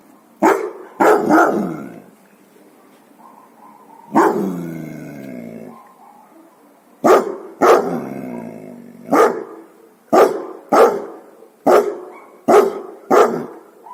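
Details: Guard dogs bark in a rapid volley: a triple bark, a drawn-out growling bark, then a run of sharp single barks roughly every second, loud and harsh throughout.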